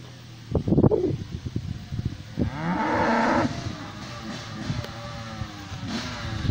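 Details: Cows in a pasture, a black one coming close for a sniff; a single drawn-out, low, harmonic moo lasting about a second midway, preceded by snuffling and rustling bursts near the microphone, with quieter rustling afterward.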